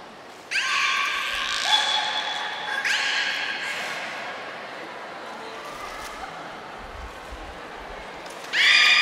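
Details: Niko the beluga in training at Port of Nagoya Public Aquarium, 25 February 2024. Three bursts of bright, stacked tonal whistles with a sharp onset, held flat for a second or two, separated by quieter pauses in an echoing hall.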